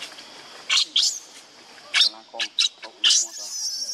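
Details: Baby monkey named Lucie crying for milk that her mother will not allow; sharp, high-pitched screeching bursts, about six short squeals over four seconds with brief pauses between them.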